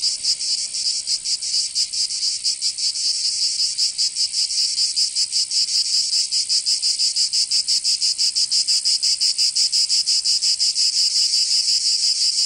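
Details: Cicadas singing in summer in Provence, southern France: a dense, loud buzzing chorus pulsing steadily in rapid rhythmic beats, high-pitched and continuous with no other sounds.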